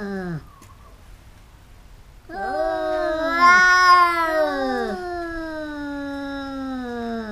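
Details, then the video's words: Fighting cats let out a rising, wavering yowl after a brief quiet gap, swelling louder in the middle and then settling into a long, sustained low moan that slowly sinks in pitch. "แมวกัดกัน คู่นี้เหมือนลิ้นกับฟัน กัดกันเรื่อยๆ cats fighting"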